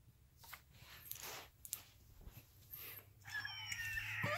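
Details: Two small Alaskan Klee Kai dogs break into a high, wavering howl together after a few seconds of indoor shuffling.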